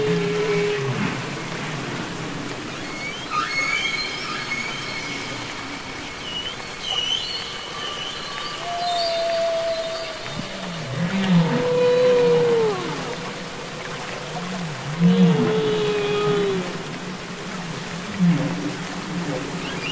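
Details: Humpback whales singing underwater, from the Capitol Records ST-620 recording: long tonal moans gliding downward near mid pitch, low swooping grunts, and high whistled upsweeps and squeals layered over a steady underwater hiss.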